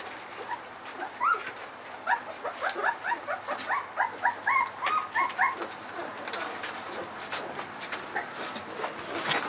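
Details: Ava's 3.7-week-old puppies eating their dinner of puppy mush; a run of short, quavering whines and whimpers comes several times per second for about five seconds, then fades into rustling and scraping.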